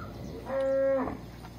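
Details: Morning hand milking in a Brazilian corral at Resplendor, Minas Gerais, with calves suckling the last milk; one clear, level, high-pitched moo about half a second long amid low background noise.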